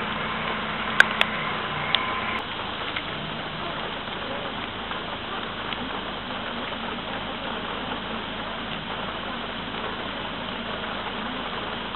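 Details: Steady rain-like hiss with a few sharp clicks early on, and no animal call heard.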